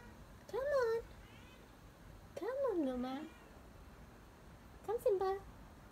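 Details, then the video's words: A stray cat coming to visit gives three loud, drawn-out meows, each rising then falling with strong harmonics, spaced about two seconds apart in a quiet setting. "the stray cat comes to visit meow"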